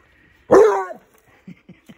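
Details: A Basset Hound puppy almost 8 months old lets out one short, deep, bawling howl that slides down in pitch.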